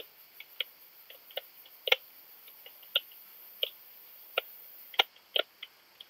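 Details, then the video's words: Long-tailed speckled bush-cricket (Leptophyes laticauda) in Rebici, Croatia, 12 July 2022: soft, irregular dry clicks, single or in quick pairs, spaced roughly half a second to a second apart over faint steady background hiss. "Leptophyes laticauda -- Südliche Zartschrecke -- Long-tailed Speckled Bush-cricket"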